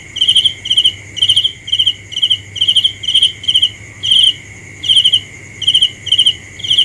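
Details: Cricket chirping at night: bright, high pulsed chirps repeated about twice a second in a steady rhythm, over a constant high whine and faint low hum.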